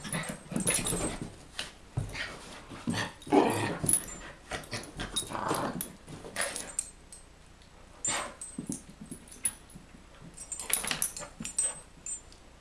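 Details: Pitbull confronting a Chihuahua, low rough growling and wheezy breaths in short bursts with gaps between, indoors in a small room, occasional sharper high-pitched noises.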